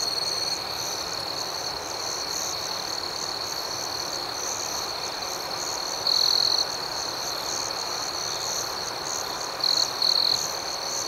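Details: Nighttime crickets keep up an unbroken shrill trill with fast pulsed chirping on top, broken by short louder bursts of trilling toward the end.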